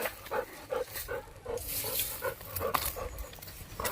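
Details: Labrador Retriever named Golden panting in quick, somewhat uneven breathy puffs, roughly 158 per minute, while carrying something away; a human voice talks to the dog.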